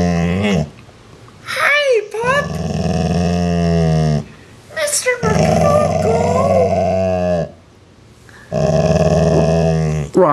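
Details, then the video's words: Indoor recording of a part-Rottweiler growling at a sibling animal while its owner talks to it; several sustained low rumbling growls of one to three seconds, separated by short gaps and spoken words. "the Rottweiler Growls"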